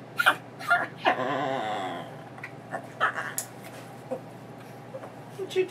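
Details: An excited female Chihuahua mix, recovering from knee surgery, gives sharp yips, barks and a wavering, drawn-out whine while her leash is put on before a walk, with a person talking.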